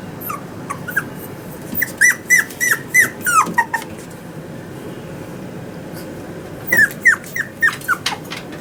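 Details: Male Toy Poodle puppy, born 18 August 2019, at a pet shop in Yokosuka, Kanagawa, Japan, giving high, thin whimpers that slide downward, in two bursts of five or six quick squeaks separated by a quiet gap, indoors.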